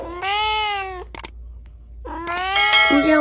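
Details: Domestic cat meowing twice about two seconds apart: first a level, even meow, then a longer, rougher one that dips at the end, with brief clicking sounds between.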